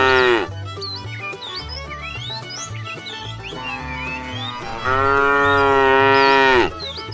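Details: Herd of tame cows heading toward fresh pasture: a short moo at the start, then a long, loud, level moo of nearly two seconds, with low rhythmic background tones and bird-like chirps throughout.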